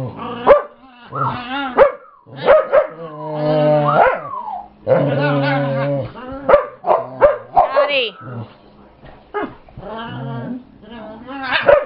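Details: Brittany, a pet dog showing off a new growl, chases fellow dog Chase while Gypsy joins and Scotty is grumpy. Wavering harmonic growl-moans alternate with short punchy yips and barks, with brief pauses between bursts.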